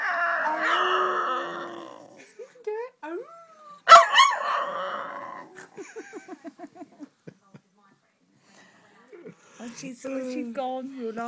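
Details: Pet female dog singing to her owner: a long groaning howl opens, then sliding whines, a sudden loud yowl, a rapid series of short soft yips fading out, and more rising whines near the end, with a woman's voice.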